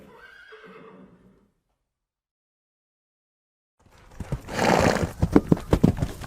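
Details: Horse neighing: a brief harmonic whinny slides downward and fades within about a second. Silence follows, then a burst of rustling noise and thudding hoofbeats.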